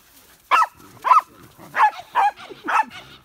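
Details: Five insistent barks from Hina, a mischievous young female Pembroke Welsh Corgi wanting someone to play with her, spaced about half a second apart, each with a bright, slightly whiny tone.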